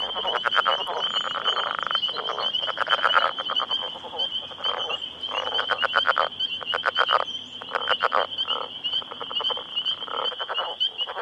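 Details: A group of roughly ten male Northern Leopard Frogs calls for mates in their breeding territory, ignoring the nearby recorder. Grating, rapidly pulsed snore-like rattles rise and break off again and again, with a continuous thin high trill in the background.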